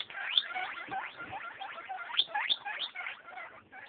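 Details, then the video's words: Eight-day-old baby guinea pigs giving rapid high squeaks and chirps, some rising sharply, overlapping in a busy, unbroken chorus over a faint rustle. "Baby guinea pigs"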